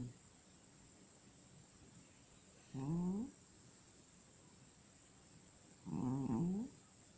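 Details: Domestic cat asleep, snoring in gentle bursts roughly three seconds apart, each snore a wavering, faintly whistled rasp against a quiet background with a thin constant hiss.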